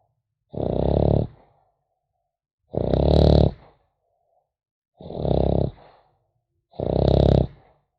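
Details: Sleeping French Bulldog puppy gives four raspy, throaty snores, each lasting under a second and recurring about every two seconds, with near silence between breaths indoors.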